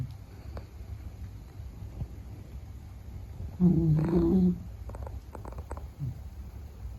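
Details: Meta, a Beagle, sleeps with one short, deep, wavering snore near the middle, surrounded by quiet indoor background and a few faint ticks.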